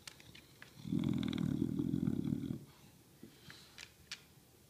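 An English bulldog gives a low, rumbling growl lasting about two seconds, followed by faint clicks.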